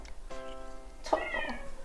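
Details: Domestic cat indoors finally gives a single meow after its owner pleads repeatedly; a short, rough, falling meow in the second half, preceded by the owner's voice and set against soft background music.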